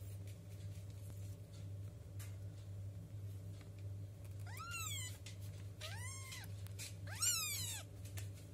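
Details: Two-week-old kitten asking for milk indoors: three high, arched meows with rich harmonics after about four seconds of quiet, spaced roughly a second apart, over a steady low hum.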